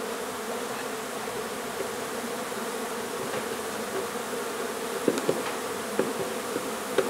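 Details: Honey bees in a nuisance hive inside a renovated old house in Donna, Texas, during relocation. A continuous low drone fills the clip, with a few knocks and clicks near the end.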